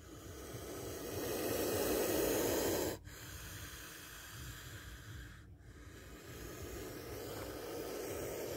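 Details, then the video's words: Defensive hissing from a spectacled cobra near a bite: a breathy hiss swells to a loud peak over about three seconds and stops sharply, then quieter continuous hissing carries on with one more brief break. "Spectacled Cobra Snake Sound"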